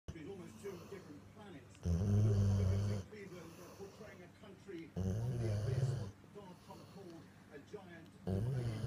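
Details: A female Rottweiler, sleeping happily with her toy at her nose, snores in deep, rumbling breaths, each loud snore coming roughly every three seconds.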